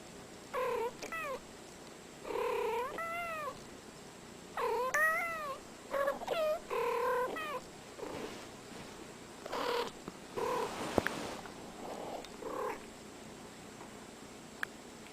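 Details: A male cat gives a run of short, nasal meows, some rising then falling in pitch, repeating the odd call again.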